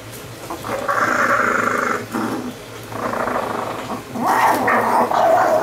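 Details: Chihuahua from a household with two Chihuahuas, Vanilla and Jack, giving drawn-out rough growls in three bursts of about one second each, separated by short pauses, with a final louder snarling stretch, indoors and with little else audible.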